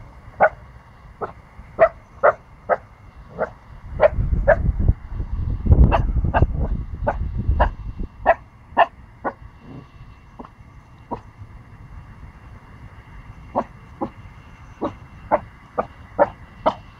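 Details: A 14-week-old Pomsky puppy gives a run of short, high, sharp barks at a big dog before running away scared, with low rumbling noise midway.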